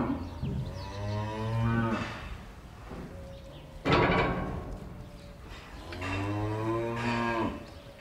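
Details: A cow in a barn gives two long, deep moos, with a brief metallic clank between them.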